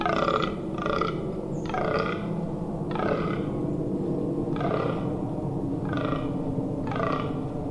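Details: A rutting fallow deer buck groans in deep, belching grunts repeated roughly once a second, during the rut in the Amsterdamse Waterleiding Duinen dunes, Netherlands, on 18 October 2021.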